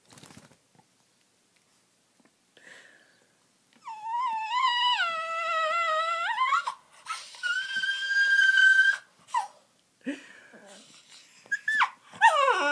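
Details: Honey the dog vocalizing to Kandy in a small room: a quiet start, then wavering moan-like howls, a higher held note, and brief sharp whines near the end, with faint household noises between.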